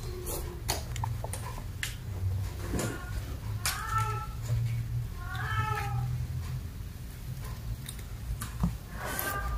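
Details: Kittens playing, chasing and jumping together indoors give several short, rising-falling meows, about four in all, spaced a second or two apart, over a steady low hum with soft knocks and bumps.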